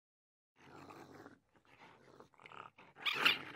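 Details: A raccoon (Procyon lotor) gives rough, breathy growls in short bursts, ending in a louder harsh snarl.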